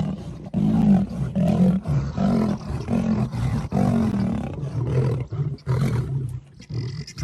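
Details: Male lions fighting over a lioness, giving loud, deep, grunting roars in quick bursts about once a second, rough and guttural, fading near the end.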